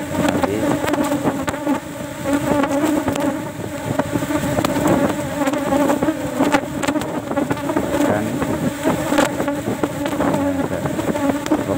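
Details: Cultivated Asian honey bees swarming around their box as one frame of honey is removed before the flowering season; a loud, even droning buzz, slightly swelling and fading, with intermittent sharp tapping sounds.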